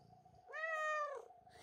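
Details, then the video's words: Angry house cat George, unhappy with the young kitten Milo stealing his tuna, gives a short loud harmonic-rich yowl of under a second, level in pitch and falling at the end, with a steady low hum beneath. "George meets Milo"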